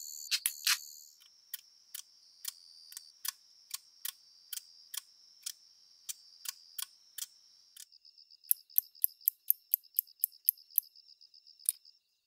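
An umaoi katydid gives its idling call, a thin high hiss punctuated by sharp, dry ticks.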